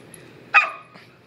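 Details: Samoyed puppy named Lumi, running laps during a burst of crazy puppy play, gives a single short high yip with a bright harmonic tone and a faint trailing second note, over a quiet indoor background.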